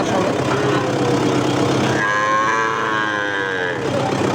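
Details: Bull calf of Gir or Sahiwal breed at Ambari haat livestock market; one clear drawn-out moo lasting about two seconds, with a steady, slightly wavering pitch, follows busy market talk and traffic noise.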